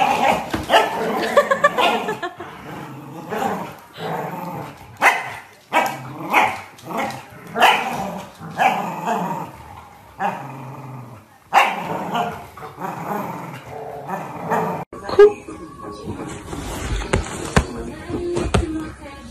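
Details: Corgi puppies in a compilation of short scenes, giving repeated yipping barks and growls in uneven bursts, with abrupt cuts between scenes and higher-pitched noise near the end.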